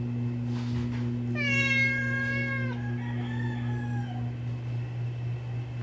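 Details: Cats waiting in the morning to be fed; one long, drawn-out meow that starts high and slides down, then a softer, shorter second meow, over a constant low electrical hum.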